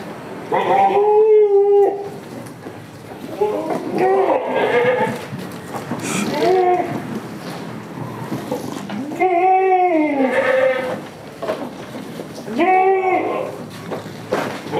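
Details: Damascus and Jamunapari goats on a village farm, loud wavering bleats repeated about every two to three seconds, several overlapping, with some human voices in the background.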